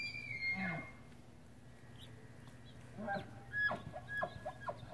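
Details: Tule elk bull in breeding season at San Luis National Wildlife Refuge, California, September 2016, with cows: the end of a descending whistled bugle, a pause, then a run of quick, coarse grunting chuckles.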